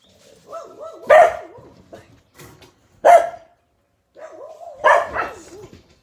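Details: Australian Cattle Dog puppies, Blue Heelers, playing together: wavering whines and growly yodels broken by three sharp bark bursts about two seconds apart, with quiet gaps between.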